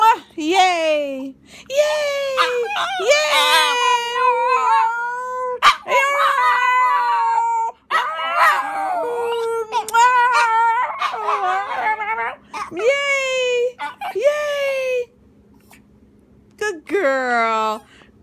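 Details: Schipperke dog howling during a celebration, a series of wavering, harmonic howls that rise and fall in short bouts separated by pauses, mixed with people's repeated sung syllables and encouragement.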